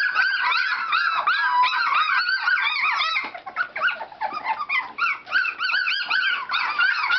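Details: Litter of Standard Poodle puppies active in their whelping box, loud overlapping squeaky whines with rising and falling arcs, a brief lull near the middle where fewer voices cry, then the shrill chorus resumes.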